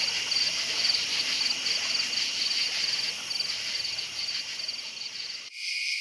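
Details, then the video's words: Crickets chirping at night: a dense high chorus of pulsed trills, quick bright chirps repeating about twice a second over a steady hiss, with an abrupt shift in the sound near the end. "Night Sounds Crickets Chirping"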